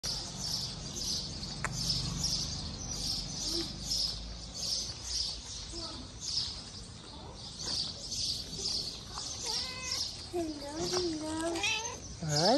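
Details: Stray Siamese cat on a street in Morocco, seeking affection and food, gives a short run of wavering, harmonic-rich meows near the end, rising and falling in pitch, over a steady pulsing high-pitched buzz that runs throughout.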